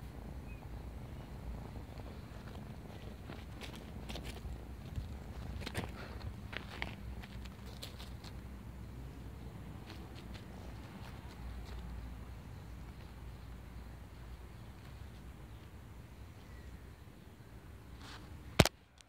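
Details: Female kitten found in a neighborhood, playing with a person; a steady low purr runs throughout, with scattered rustling and handling clicks in the first half and one sharp knock near the end.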